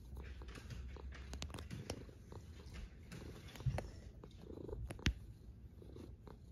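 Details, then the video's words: Low, grainy snoring from a sleeping cat, rumbling steadily with soft irregular breath surges and a couple of sharper knocks near the end. "A snoring cat"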